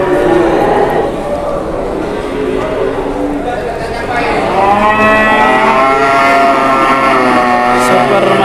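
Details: Cattle at an Indonesian livestock deal where an angry cow charged: muddled lowing early on, then a strong, wavering bellow in the second half, set against constant noisy chatter and background din.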